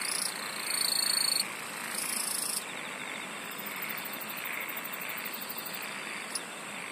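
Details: Insects singing in a thick nighttime chorus: bright sustained high tones switching on and off in the opening seconds, then a fast, even ticking trill very high up, all above a constant buzzing wash of many callers.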